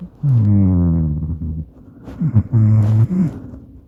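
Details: Sleeping Maine Coon cat, Madoka, recorded by smartphone while sharing a bed: a deep, buzzing snore drawn out for over a second, a pause, quick snuffling catches, then a second rumbling snore of half a second.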